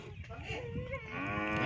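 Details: Nili-Ravi buffalo offered for sale in Punjab, Pakistan, a low voiced moo swelling into a rich harmonic bellow that grows louder toward the end, with people talking in the background.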